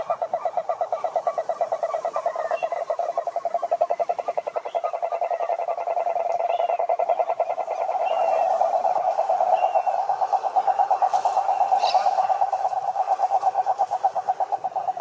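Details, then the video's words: Chorus of wild cane toads at a lake in Brazil's Atlantic Forest: an unbroken, fast, buzzy trill of many overlapping callers that swells and eases over fifteen seconds, with a few faint distant bird notes. "CANTORIA DE SAPOS CURURU"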